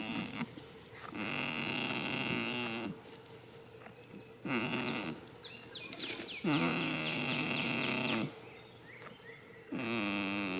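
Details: A goat asleep in a field on the first day of spring, snoring in drawn-out, nasal, moan-like breaths of one to two seconds, with quiet pauses between them and faint high chirps in the background.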